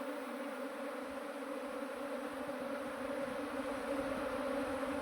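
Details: An absconded honeybee swarm being settled into a modern hive as the beekeeper searches for the queen; a quieter, constant humming drone that swells slightly toward the end.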